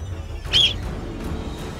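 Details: An Alpine marmot sentry gives one short, sharp, high alarm whistle lasting about a quarter second, over soft background music, signalling an approaching golden eagle so the others flee back to their burrows.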